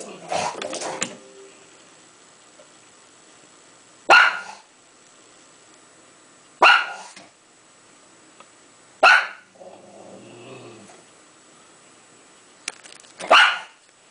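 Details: A pug reacts to a cat shown on TV with single sharp barks spaced roughly two to four seconds apart, five in all, with a burst of rustling and muffled noise at the start and quiet between barks.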